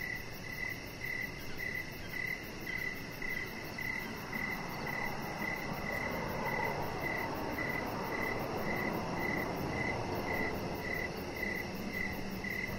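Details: Crickets chirping outdoors in the evening beside a deck where a chihuahua puppy lies under decoration lights; short, high, even chirps repeat roughly twice a second over a steady soft hiss of night ambience.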